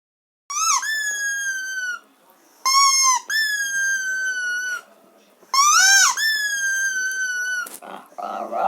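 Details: Dog howling: three drawn-out, high tonal howls, each about one and a half to two seconds long, beginning with a quick rise and dip and then holding a steady pitch, separated by short pauses.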